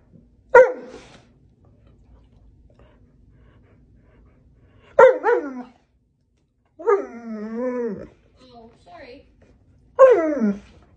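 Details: Pet dog throwing a tantrum indoors for more food: short sharp barks near the start, middle and end, plus a wavering, howl-like vocalisation in between, with a quiet room in the gaps.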